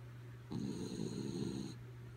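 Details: One drawn-out, rattling snore of about a second and a quarter from the dog Kaya Boo, fast asleep, set against a steady low hum.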